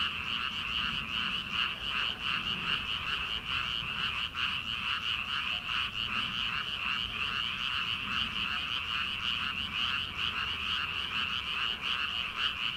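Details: A night chorus of frogs in rice paddies at the start of summer. Rapid, rattling croaks repeat roughly two to three times a second, layered by many callers into a steady, shimmering drone.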